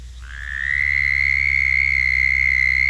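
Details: Musical call of the male southern toad, replayed from an archival recording: a long, even, high-pitched trill that swells in quickly and then holds a steady tone throughout, with a faint low hum beneath.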